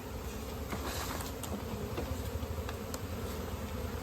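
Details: Honey bees swarming around a comb during natural honey collection in an Indian village; a dense, low, steady droning hum with faint clicks and handling noises throughout.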